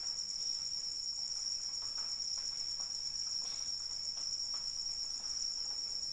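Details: Continuous shrill cricket trill in the rain, evenly pulsed and unwavering in pitch, with light rain drops pattering faintly underneath.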